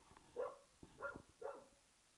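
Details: Three quick, muffled woofs roughly half a second apart from Archie, an English Springer Spaniel barking at an old tennis ball out in the back garden.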